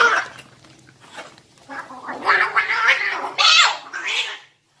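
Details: Cat; fight yowls; fighting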